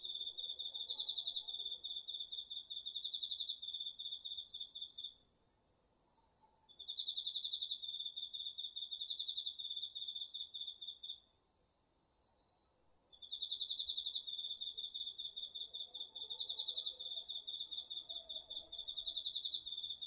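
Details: Crickets and other insects of an autumn night in a garden field, taped on a DR-40X: three long runs of rapid, high pulsed chirping separated by short pauses, beneath a constant thin steady tone from another insect throughout.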